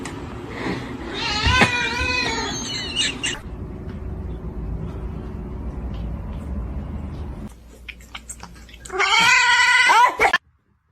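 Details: Kitten meowing indoors: a few drawn-out, strongly harmonic meows near the start, then a quieter stretch of low background noise, ending with a loud wavering meow around the ninth to tenth second.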